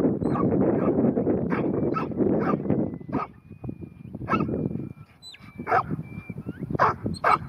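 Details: Ruby, a New Zealand Huntaway bitch aged ten months, working at Skipton. Deep barks repeat at an uneven pace against heavy rumbling noise. Sharper, clearer woofs and thin high whistles follow later.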